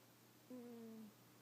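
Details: A single soft snore from Yuki, a sleeping cat: a low, steady whistled tone sliding slightly downward for about half a second, with near silence around it.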